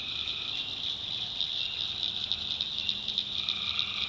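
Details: Swamp at night in the North Carolina backwoods, tree frogs producing a rapid high pulsing chorus, beats quick and uneven, with a lower trill entering near the end.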